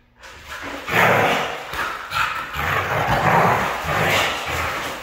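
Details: A red female Siberian husky starts after a brief silence, then keeps up a continuous, harsh, rising-and-falling moaning vocalization for several seconds.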